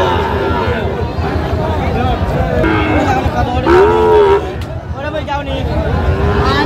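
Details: Sahiwal bull at a busy cattle market, bought by a farmer from Narsingdi, 28 July 2025; a single drawn-out lowing moo rising then levelling near the middle, surrounded by bargaining voices and market chatter.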